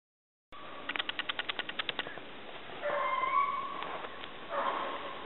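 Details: Dogs Gurdy and Magnum on a February 5, 2012 rabbit hunt in southern New Hampshire, alongside Black Lab Marley. A quick burst of sharp yips is followed by drawn-out, wavering baying howls over a soft outdoor hiss.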